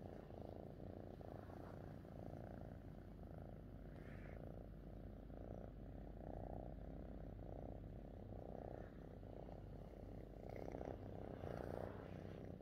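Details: Fifi the cat, happy with her owner, purrs in a steady low vibrating drone, each breath showing as a faint pulse, with a brief higher rustle near four seconds.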